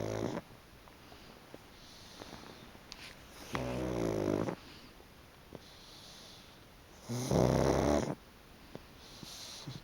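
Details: Chicchi the pug naps on a freshly sun-dried, fluffy futon, snoring loudly: deep, rasping snores roughly a second long, with three spaced a few seconds apart and quiet breathing between them.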